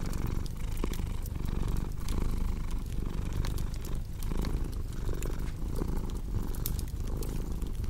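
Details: Continuous low cat purr, a deep vibrating hum swelling and easing with each breath, mixed with sharp crackles of a cozy fireplace.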